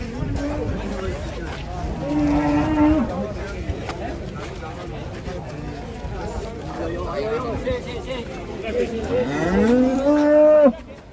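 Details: Bony, underweight cow, said to be newly arrived, lets out two moos: a short level one early, then a longer call that rises in pitch and swells louder before cutting off, with people talking around it.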